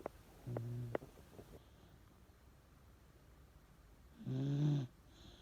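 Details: Chage, an aging Miniature Dachshund, asleep and snoring indoors: two low, rasping snores roughly three and a half seconds apart, each lasting about half a second, with quiet room tone between.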